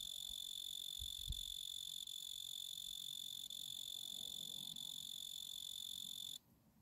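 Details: Male tree cricket of the genus Oecanthus singing: a steady, pure, high continuous trill held for about six seconds, then stopping abruptly as he quits, leaving faint background hiss.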